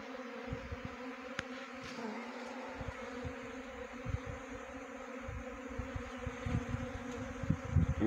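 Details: Swarming honey bees caught while trapping the swarm. The buzz is a continuous, even drone with stacked tones and frequent low thuds, plus a few sharp clicks near the end.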